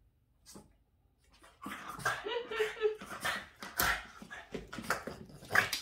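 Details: Agitated Boston Terrier reacting to a window cleaner: a quiet opening, then a sustained outburst of loud barks and whining yelps, with a person's voice mixed in.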